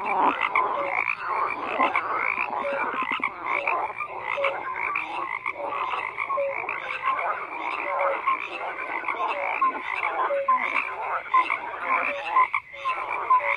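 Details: Many frogs croak together in a dense, continuous chorus, overlapping rasping pulses and short rising notes packed between about one and three thousand cycles, with no pauses and no other sounds.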